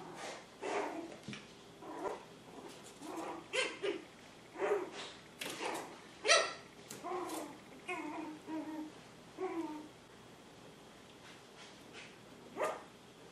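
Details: Poodle puppies, seven weeks old, named Honey and Emma, let out a run of short, sharp puppy barks repeated about every one to two seconds in a quiet indoor setting, then fall silent apart from one last yip.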